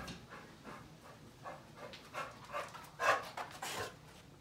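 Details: Chow Chow named Sebastian, excited and trying to get at tuna on the counter, gives a run of gruff, breathy huffs and short barks about every half second, building to a louder burst near the end.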